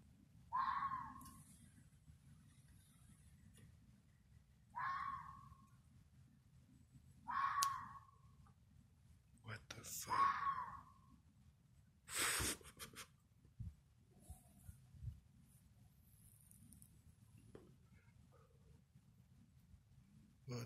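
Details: Red fox screaming at night in the Missouri woods: four harsh, drawn-out screams come about every two and a half seconds, then fainter knocks and clicks in a quiet, low-rumbling background.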